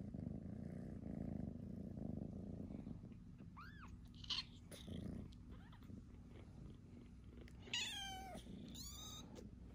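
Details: Newborn kittens with their bigger siblings: a long stretch of low, rumbling purring, then a few short, high, arching mews, and near the end a burst of shrill, wavering squeaks.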